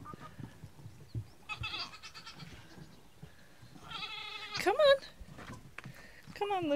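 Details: Nigerian Dwarf goat kids on their first day being coaxed out by a woman's voice; a loud, high, wavering bleat rises and falls midway, followed by a second shorter bleat near the end, amid soft rustling.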